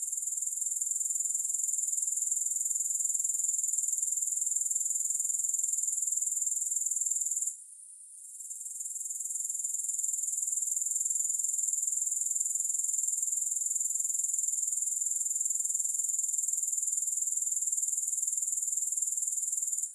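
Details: Shrill, unbroken pulsing drone of grasshoppers, high and even, interrupted once by a brief lull before the chorus swells back for the rest of the stretch; nothing else audible.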